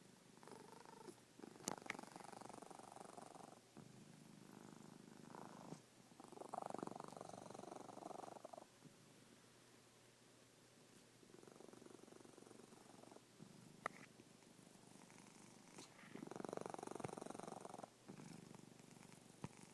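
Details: A cat snoring at home: an uneven, gravelly rumble rising and fading with each breath. Louder phases of about two to three seconds alternate with quieter stretches, broken by a few sharp ticks.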